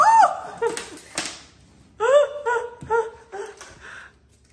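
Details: Bengal cats Luna and Luxe at play indoors, pouncing energetically, giving short rising-and-falling meow-like chirps in quick clusters, a few at the start and a run of four or five after a pause, with light knocks and rustling between.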